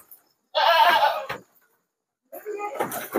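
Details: Goats bleating at night while a load of sixty is shipped by truck to Jambi, Indonesia; one loud harmonic bleat lasting under a second, then a shorter rougher bleat after a pause.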